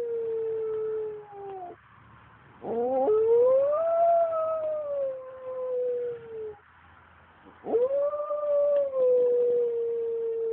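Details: A Pembroke Welsh Corgi howls along with passing fire trucks in long, wavering howls that rise, hold, then slide down, with short pauses between.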